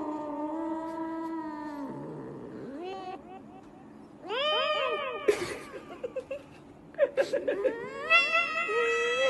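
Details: Pet cat talking into a microphone, giving a long steady low tone that dips, then a run of loud rising-falling meows and short chirpy yowls, ending on a higher drawn-out meow.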